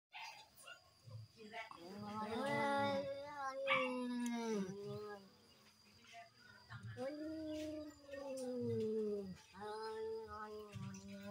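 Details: Cats in a duel, yowling as they fight: long, wavering, moaning cries that swell and sag in pitch, in drawn-out bouts of two to three seconds separated by short quiet gaps, over a faint steady background hum.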